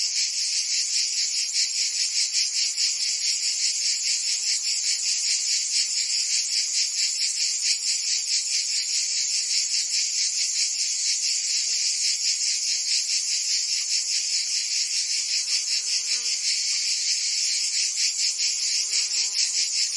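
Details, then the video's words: Cicadas singing in summer in Provence, France: a dense, continuous buzzing chorus, high and hissing, with a steady pulsing throb about two to three beats per second, a few faint lower chirps near the end. "Cicadas singing in France (Provence)"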